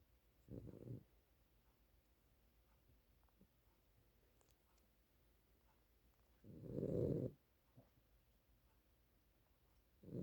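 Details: Dog snoring indoors: low rumbling breaths, a short snore near the start, a longer louder one around seven seconds and another beginning at the end, with quiet pauses between.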